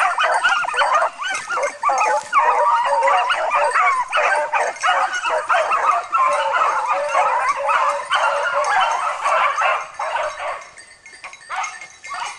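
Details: Frantic, rapid barking and yelping from a dog in training on wild boar, about three barks a second, dense and unbroken before easing slightly near the end.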